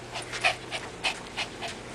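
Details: Dog panting steadily indoors, quick breathy huffs repeating about every third of a second over constant background hiss, while a person coaxes it to come and sit.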